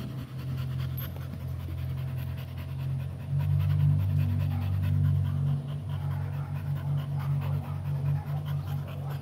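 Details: American Pit Bull Terrier breathing hard in fast, even pants, roughly four per second, over a strong low droning hum that swells in the middle.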